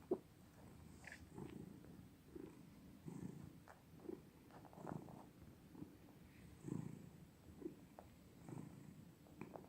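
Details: Cats purring indoors: quiet, low, rumbling pulses that swell and fade roughly once a second over a faint background hiss.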